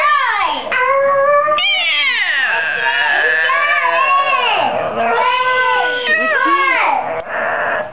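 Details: A pet dog named Patches, female, sings indoors, prompted by people: long wavering howls with sliding rising and falling pitch, sustained nearly without pause, with light speech from a person in the background.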